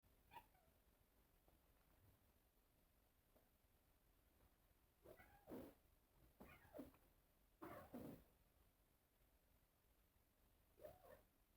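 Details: Cats calling at a mirror: a few faint, soft meows early, then a cluster of arched, wavering meows in the middle and one more near the end, with quiet background hiss between them.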